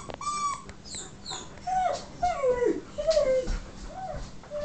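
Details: Siberian huskies, driven mad by a squeaky toy, give a run of wavering, mid-pitched whines that slide up and down, several in quick succession, after a short high-pitched toy squeak at the start.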